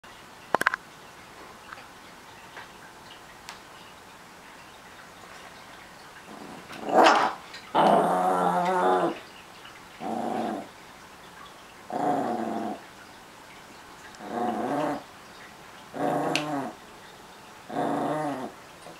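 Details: Chihuahua-Miniature Pinscher mix, a Chihuahuapin, growing possessive over his treats: a run of low harmonic growls, each lasting about a second, spaced one to two seconds apart, beginning after a few faint clicks and a louder rising whine.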